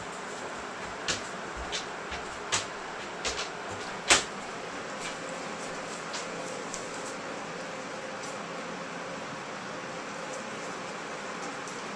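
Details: Indoor hiss with a few sharp knocks and clicks, like a cupboard or door, and no animal calls.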